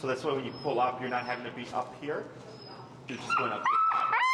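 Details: Finnegan, an extremely vocal feral husky in a Chicago heel training session, protests a behavior while being taught pressure: after a man talks in a low voice, a loud drawn-out whining howl holds a steady pitch, then wavers and rises at the end.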